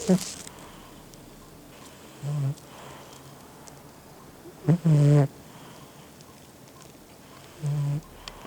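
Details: Gin the pet cat snoring loudly indoors: three low, humming snore breaths spaced a few seconds apart, the middle one loudest, with a brief noise burst at the start.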